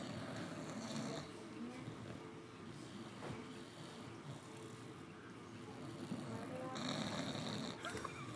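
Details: A dog snoring, a continuous low rasping rumble of breaths running through the whole stretch, steady and unbroken with slight swells in loudness toward the end.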